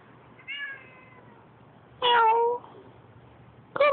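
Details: Neighbour's cat visiting; three meows, a soft tonal one, then a loud drawn-out wavering meow, then a sharp falling meow at the end, with a low steady hum underneath.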